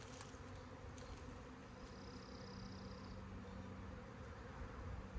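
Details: A honey bee swarm drones on in a dense, low, constant buzz with a steady tonal hum beneath; light taps near the start and a brief high whine partway through.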